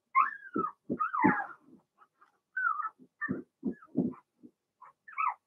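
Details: Young Blenheim Cavalier King Charles Spaniel puppies, Remy's first litter, in a home puppy pen; sliding, wavering whimpers and whines mixed with soft low thuds and grunts from the pups moving about.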